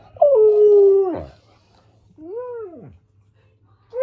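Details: Siberian Husky singing along to Flash: a howl that breaks sharply then holds and drops, followed by an arched rising-and-falling wail and the start of another, over a low steady hum.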